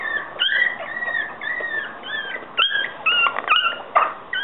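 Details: High-pitched whimpering from Yorkshire Terrier puppies: drawn-out, wavering whines that overlap at first, then shorter sharp squeaks in the second half over quiet hiss.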